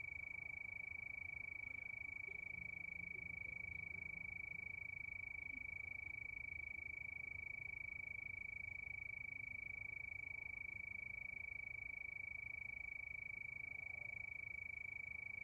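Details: Crickets chirping under the night moon: a steady, high, ringing tone pulsing about three times a second with machine-like regularity, over a faint low rumble.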